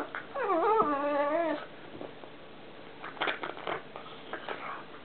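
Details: Pet pug indoors in a small room while playing, making what is described as a very strange noise: a wavering, whistly whine with rising and falling pitch for about 1.5 seconds, then scattered snorts and clicks.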